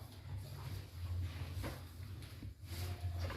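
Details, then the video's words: A one-week-old calf snores while sound asleep: low, rough rumbling snores in long breathing cycles, three drawn-out snore phrases separated by brief pauses, with faint room noise behind. "PEDET SUPER TIDUR NYA NGOROK"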